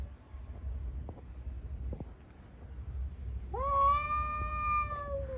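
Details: On the street during a cat fight, a single loud, steady, drawn-out yowl rises and holds its pitch for about two seconds after a quiet stretch with faint taps and low hum.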